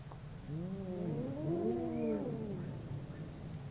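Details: Two domestic cats howling during a fight: a long wavering yowl with stacked harmonics rising and falling over about two seconds, set against a steady low rumble of background noise.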